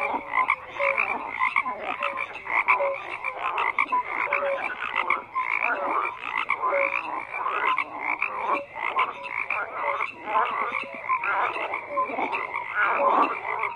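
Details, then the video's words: A crowded night-pond style chorus of croaking frogs, continuous rasping trills overlaid with short tonal blips repeated about twice a second, loudness rising and falling in waves. "FROGS CROAKING"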